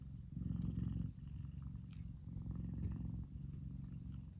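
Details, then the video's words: F2 Savannah cat named Kumba, a big male, purring while relaxing in the sun; a steady low rumbling purr with a brief dip near one second. "Big Savannah Cat Relaxing And Purring."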